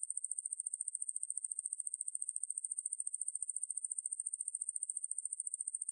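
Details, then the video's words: Ruspolia lineosa conehead katydid from a National Institute of Biological Resources insect-sound collection: a continuous, high-pitched buzzing trill of rapid, evenly pulsed ticks, steady throughout, with no other sounds. "왕매부리, 여러번 듣기, 곤충소리"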